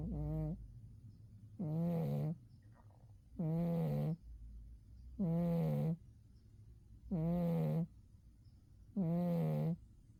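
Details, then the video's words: Winter nap of Umi the cat: six steady, resonant low snores at a regular pace of roughly one every 1.8 seconds, each a short droning buzz followed by near silence. "Umi the cat winter zonks and snores"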